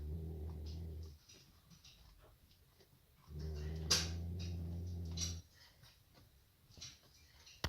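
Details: Male Nubian goat Tamirchik sleeping in a stable, giving two long, low, buzzing snores about two seconds apart, with a sharp click during the second snore and quiet stable rustling in the pauses.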